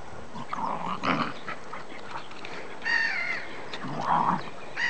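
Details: Dogs: Max from Ulm, a Welsh Terrier, up against a Staffordshire terrier; clusters of short harmonic yelps and rough growly bursts, with a drawn-out whining cry in the middle and another near the end.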